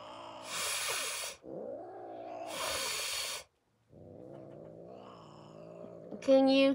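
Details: Kali, a domestic cat, hisses twice in long airy breathy bursts about a second each, separated by a woman's soft talking voice, with a short high squeak near the end.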